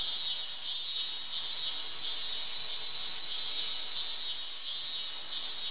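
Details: Continuous shrill cicada buzz, high and even, swelling slightly in the middle and otherwise unchanging, alone without other sounds.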